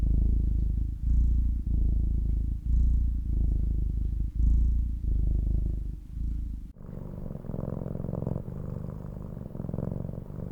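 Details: Domestic cat purring, a deep steady rumble pulsing in breath-length bursts about every second, then switching abruptly to a second, slightly higher and rougher purr for the last few seconds.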